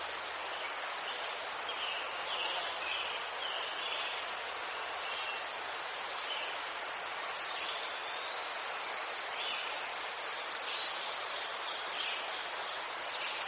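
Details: Several crickets sing in Ukraine near chrysanthemums, their shrill pulsed trill running unbroken and even in loudness, with a few brief lower chirps and light rustling noise under the chorus.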